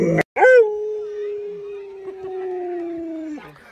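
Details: Pet Alaskan Malamute Luoluo, spoiled by grandma, lets out a long drawn-out howl after a brief sharp onset, holding one steady tone for about three seconds before it drops off, with faint voices in the background.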